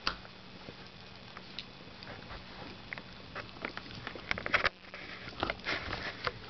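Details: Female dachshund indoors at Christmas gnawing on a new rawhide bone; irregular soft clicks, scrapes and crunchy bursts of chewing, busiest toward the end, over a faint steady hum in a quiet room.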